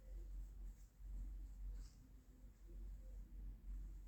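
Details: Female domestic cat purring softly while relaxing and being stroked indoors: a faint, low rumble that swells and fades in slow breathing cycles, with light room noise.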